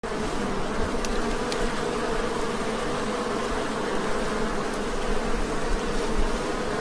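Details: A newly acquired, very aggressive honey bee hive gives a dense, steady hum, a low droning buzz that never lets up.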